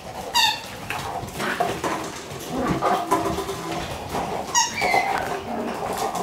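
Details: Two Shiba Inu pups, one black and born May 29, running around together on the morning she leaves the nest; two sharp, high squeaky yelps, one near the start and another after four seconds, over soft scuffling play sounds.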